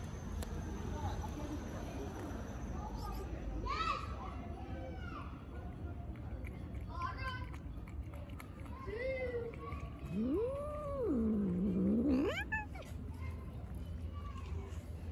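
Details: Stray cat living on the street, among several strays, one of them slapped; a long drawn-out meow that rises, sinks low and climbs again over about two seconds, after a few shorter mews, with voices and street noise behind.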